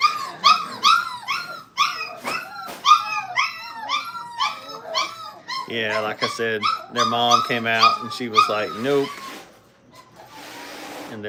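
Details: Five-week-old Brittany puppies in crate training at a kennel, whining and yelping in dense overlapping bursts of high, harmonic cries, several pups calling at once, a lower voice joining midway, ending with a short quiet stretch.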